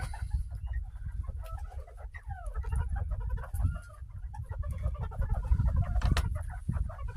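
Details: Northern bobwhite quail chattering happily just after being given fresh kale and greens on a homestead. Quick, rapid chirps and short warbling notes come from several birds, over a heavy low rumble of handling or wind noise.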